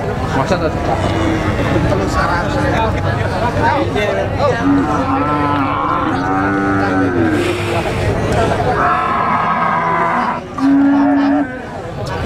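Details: Female Rambon cow for sale at a cattle market; a few long, level moos rise above nearly constant nearby talking and general market hubbub.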